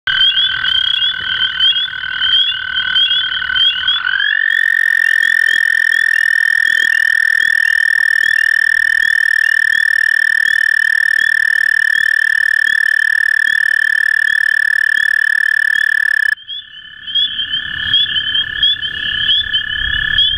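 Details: A toad in Cuyahoga County, Ohio, on 25 April 2016 gives a long, steady, high musical trill holding one pitch for about twelve seconds.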